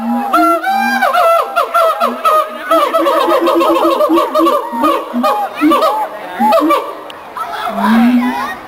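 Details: A mated siamang pair at the Columbus Zoo duet in loud, rapid barks and honking whoops rising and falling over each other, songs establishing territory and reinforcing the pair bond; onlookers applaud.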